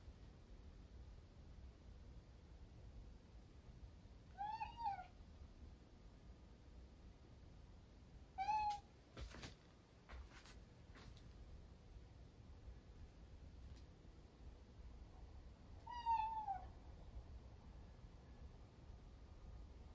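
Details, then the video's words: Norwegian Forest Cat indoors, talking toward the family Buddhist altar: three soft, short meows, each rising then falling, spaced several seconds apart in a quiet room, with a few brief knocks or clicks midway. "猫が仏壇に向かって話始めました ノルウェージャンフォレストキャット"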